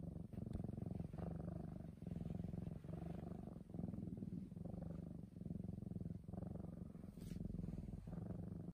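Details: Black house cat purring while lying next to someone: a low, steady rattling rumble that swells and breaks with each breath, roughly one cycle per second, with no other sounds.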